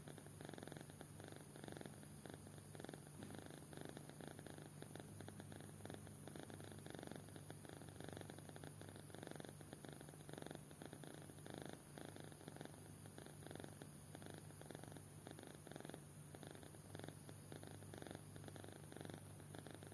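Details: Kitten sound asleep and snoring for twenty seconds: soft, continuous rhythmic rasping pulses, several per second in bursts, over a steady low background hum, with no other sounds.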